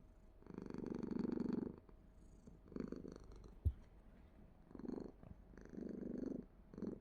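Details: Cat purring in several soft, low, rumbling bouts of uneven length, separated by quiet gaps, with one brief knock partway through.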